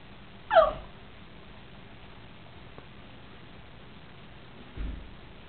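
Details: Maxwell, a pitbull, and Whisper, a chihuahua, playing together; one short high yelp with falling harmonic tones near the start, then a long quiet stretch ending in a soft low thump.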